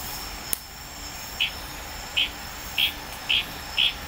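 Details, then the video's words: Litoria frog calling in the wild on Tanimbar, Indonesia, in tropical forest at night: five short, bright, clicky notes about half a second apart over a steady hiss of crickets and night insects. "Tanimbar FROG SOUNDS"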